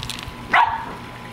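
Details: Ventus the Corgi, a dog running and playing in a backyard with a soccer ball his own size, gives one short, sharp bark midway through, rising quickly and falling away, over faint outdoor background noise.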